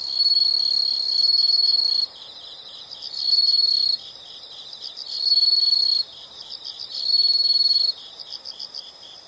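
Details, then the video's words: Insect sounds in a nature recording: four loud, shrill high trills, each about one to two seconds, recur roughly every two seconds over a background of quick pulsed chirping. "the sound of insects"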